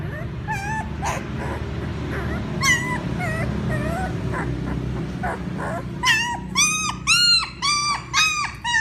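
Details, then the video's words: Puppies crying for their mother: faint high whines over a low steady hum at first, then a loud run of rising-and-falling yelping whimpers, about two per second, in the final three seconds. "Sounds Puppies call their mother ||Puppy crying sound"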